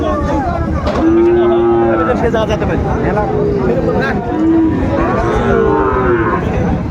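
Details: Bellowing Sahiwal bull calf at Ambari haat cattle market on 17 January: three drawn-out low moos, each arching slightly in pitch, about two seconds apart, over constant crowd chatter from the market.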